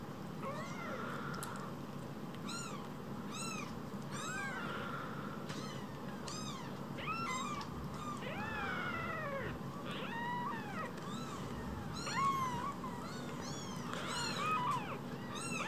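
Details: Rescued baby kittens, two of them and phone-sized, calling insistently: a long run of high, bowed mews, some drawn out and wavering, several overlapping, over a continuous low hum.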